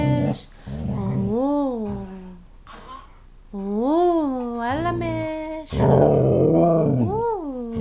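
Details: Siberian huskies playing and singing indoors; long wavering howls rise and fall in smooth arcs, three drawn-out phrases separated by short pauses, with rough growly undertones between them.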